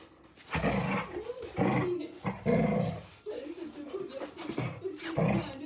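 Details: A Labrador Retriever playing after dinner gives low rumbling growls in repeated bursts about a second long, with a person speaking at times and scuffling play noises.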